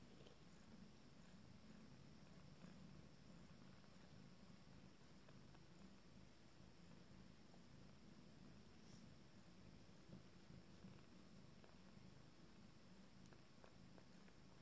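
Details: Steady, low, throbbing purring during a family meal with a 14-day-old first litter of kittens, continuous and even, with faint rustling and a quiet indoor background.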